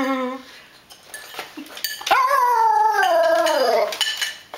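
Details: Female Tibetan Terrier Frida asks for food with a food song. A short whine is followed by a long, high, wavering howl that slides gradually downward over two seconds, amid cutlery clatter and Danish speech.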